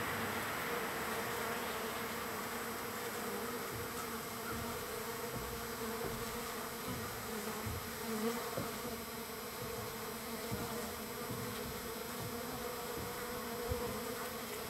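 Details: Wild bees crowding a feeding site on day three; unbroken, thick buzzing drone throughout, with faint individual passes rising now and then.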